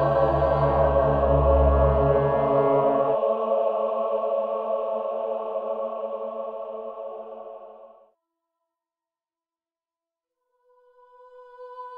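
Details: Sustained choir-like chanting with a deep drone fades to silence, then a faint held tone returns at the end.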